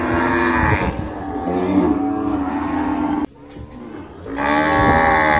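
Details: Cow lowing in a drawn-out moo that wavers through rich harmonics, breaks off sharply near three seconds, then a fresh loud moo starts after a brief quieter stretch.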